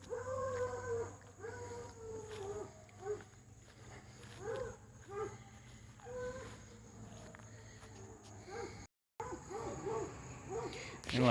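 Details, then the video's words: Hound dogs racing a dog named Lucy along a fence give repeated short bays and yelps, softer and more spaced, over a low steady hum, with a brief dropout near the end. "Lucy versus hound dogs fence racing.. again.."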